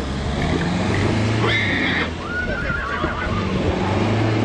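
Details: Young stallion, two years old, from Dăneștii Chioarului in Maramureș, lets out a brief shrill whinny followed by a lower, wavering neigh over steady low rumbling background noise and occasional voices.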